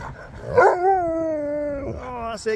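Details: A pet Husky, woken while being groomed and acting as if to fight, gives a sustained, slightly falling howl-like whine lasting over a second, followed by a shorter lower note, with a person talking nearby.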